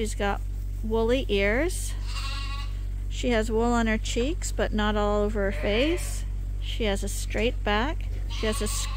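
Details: Several bottle-fed lambs on Ewetopia Farms, supplemented twice a day because their mothers give too little milk, call in overlapping, insistent bleats, wavering and nasal, some drawn out, nearly continuous over a low droning hum.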